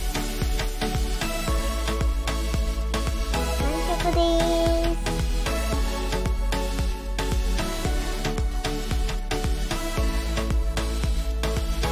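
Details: Loud rhythmic music with steady drums and a brief sung phrase plays throughout, with no animal sound audible.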